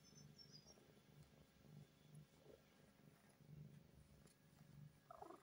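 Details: A heavily pregnant Snow Lynx Bengal cat, sleeping shortly before giving birth, purrs softly in a low rumbling pulse that repeats about once a second.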